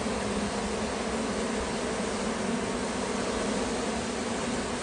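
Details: Swarm of honey bees being collected in California, queen and workers leaving their old colony; an unbroken, even, noisy drone of countless wings fills the whole stretch without pause.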